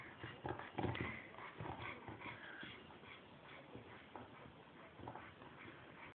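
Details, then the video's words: Chow Chow grunting like a pig: one strong, low, throaty grunt just before the first second, followed by softer snuffling and breathy grunts fading over the next few seconds. "Чау чау хрюкает Chow chow grunt like a pig Chow chow grunzen wie ein Schwein"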